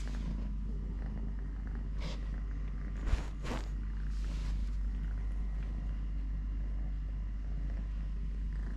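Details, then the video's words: Continuous deep purring from Totoshka, a cat living normally on three legs. The low vibrating drone holds steady, broken by a few brief sharp clicks and knocks around the three-second mark. "LITTLE GREMLIN PURR PURR | Having Food, Playing, Walking, Fighting with hand, purring"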